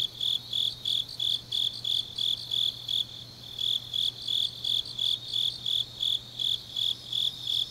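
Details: Autumn night chorus of grass insects in Changnyeong, Korea, dominated by crisp high chirps repeating roughly three times per second in an even pulse, fainter buzzing insects behind, and a soft constant low hum underneath.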